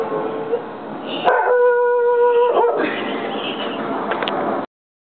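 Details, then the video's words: English Springer Spaniel howling: a single steady, drawn-out tonal note holding level for about a second and a half, set against a noisy background with other brief sounds before and after. "english springer howling"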